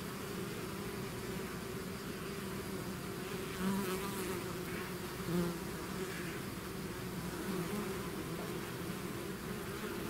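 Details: Bees swarming out of their hive fill the air with a steady massed buzz, a low droning hum and higher overtones, punctuated by two brief louder flybys around the middle.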